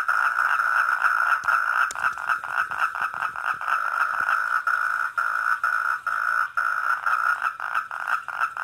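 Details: Wild four-lined tree frog calling at a garden koi pond: a steady mid-pitched tone broken into quick, slightly uneven pulses, about two per second, running through the whole stretch with no other sounds standing out.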